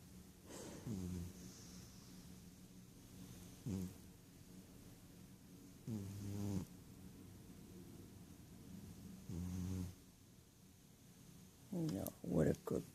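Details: Rohan, a male pet Ragdoll cat fast asleep, snores steadily. Short, low, buzzy inhalations repeat every three seconds or so across the stretch, with a brief scuffle of movement near the end.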